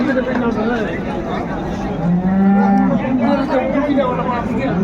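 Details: Cattle lowing at Ambari livestock market in Dinajpur on 21 March 2025, where cows and calves are traded; a long low moo swells midway, with steady market chatter and men's bargaining voices throughout.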